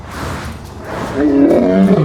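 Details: A lion, rated at 114 dB as the loudest cat, gives a deep, swelling roar that climbs and then sinks in a rough groaning tone.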